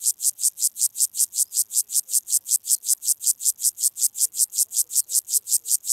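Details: Club-legged grasshopper stridulating in Leogang, Austria, 5 September 2023: steady, evenly spaced high-pitched scraping pulses, roughly two and a half per second, each swelling then cutting off, unbroken throughout with no other sounds.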